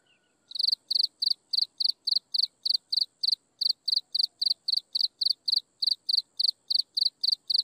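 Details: At sunset, insects give a continuous run of crisp high chirps at a steady pace of nearly four per second, with a faint constant high tone behind them and a brief soft whistle near the start.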